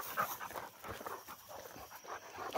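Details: Two Rottweilers coming down a tower, heard panting: soft, breathy bursts of rapid breath repeating about every half second, without vocal tone, over a faint hiss of background noise.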